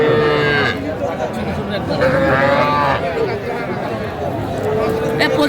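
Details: Young calves, small bulls and heifers, possibly Sahiwal, at a busy Cumilla livestock market in Bangladesh on 11 January 2025: steady mid-pitched moos, each under a second, sounding three times over dense crowd chatter and bargaining voices.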